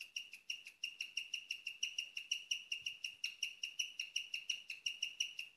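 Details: A female guinea pig chirps at night, a rarely heard sound: a steady, high, bird-like tone pulsing about three times a second.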